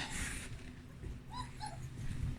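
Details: Young puppies exploring a whelping box after its blankets have been changed; two short, high, slightly falling whimpers come in quick succession midway through, over soft rustling and a low indoor rumble.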